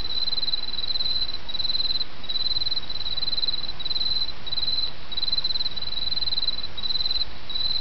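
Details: Chorus of autumn insects with a flowing stream in the background: regular high-pitched trilled chirps, each brief and closely repeated across the whole stretch, above a constant soft rushing of water.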